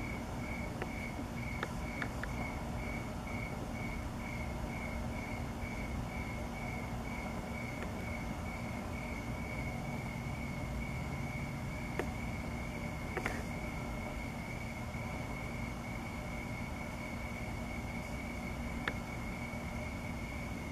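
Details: Crickets chirping at night on 6 August 2017 under the full Sturgeon Moon as clouds pass. Steady high chirps come in quick regular pulses that blur into a near-continuous trill, over a low rumble like distant traffic and a few faint clicks.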